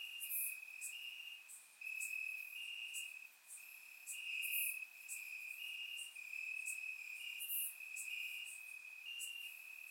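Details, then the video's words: Night chorus of crickets in Bulgarian grass on a warm summer night: continuous high-pitched trilling in pulsing bursts of a second or two, overlapping callers, and faint ticking accents above, no other sounds. "Cricket Sounds - Crickets Chirping at Night"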